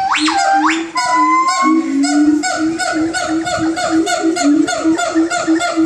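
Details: Siamangs calling in the early morning: loud swooping whoops followed by steady, rhythmic barking notes repeated in quick succession.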